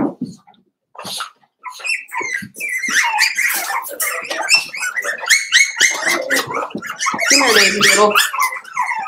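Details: Daisy's five-week-old Cavalier King Charles Spaniel puppies crowd an indoor pen with shrill, repeated squeals and whines building into a busy, overlapping clamour, with faint human voices mixed in.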